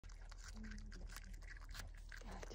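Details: A friendly marmot being hand-fed chews noisily, making quick crunchy clicks and smacking sounds over a low background rumble.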